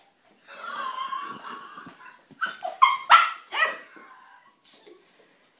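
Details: A 9-month-old male Lhasa Apso puppy, getting frisky and overly friendly with a person, gives a long, wavering whine, then a quick burst of high, sharp yips.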